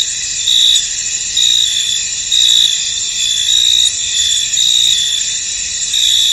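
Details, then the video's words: Chorus of crickets heard in a fog-covered field, steady high-pitched ringing trills layered together, punctuated by brighter chirp bursts close to once per second, no other clear sounds. "Tranquil Cricket Sounds In An Misty Field"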